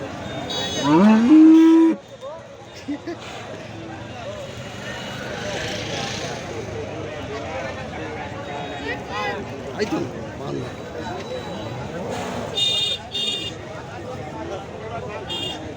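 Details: Cattle at a large cattle and goat market on a government college ground in Sonargaon: one loud rising moo of about a second, then steady crowd chatter, vehicle noise and scattered market sounds.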